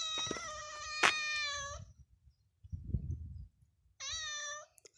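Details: A mother cat kept with her kittens in a farmyard corral gives two drawn-out, harmonic-rich meows separated by a brief rustling pause.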